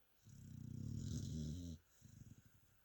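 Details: Mia, a sleeping pet dog, gives one drawn-out rattling snore that swells over about one and a half seconds, followed by a softer fluttering breath.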